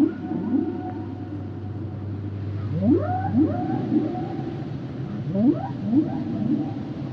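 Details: Humpback whale song: low moaning tones overlaid by rising upsweeps climbing to high whistles in pairs, with a steady low hum during the first half.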